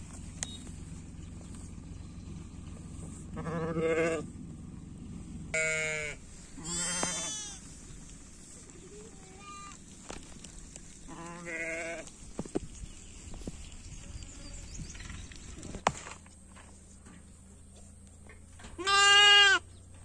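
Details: Sheep and goats in the morning, with a series of bleats spread over twenty seconds: short nasal, quavering cries, some high and trembling, the last one loud and drawn out, over a low steady background hum.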